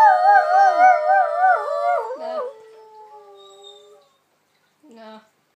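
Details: A dog, with a greyhound among the dogs present, gives a warbling, vibrato howl that wavers up and down, fades into a thin lingering tone, then a short final yelp after a pause.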